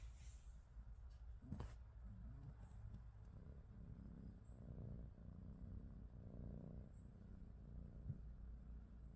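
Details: Morning purring from a British Shorthair cat in a household of three, Pikachu, Teddy and their niece Rosie: a steady, low, rumbling purr held throughout, with a brief soft tap near the start.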